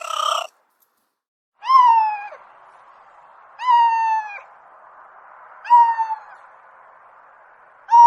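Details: Pet cat calls: thin, slightly falling meows repeated about every two seconds over a steady faint background hum.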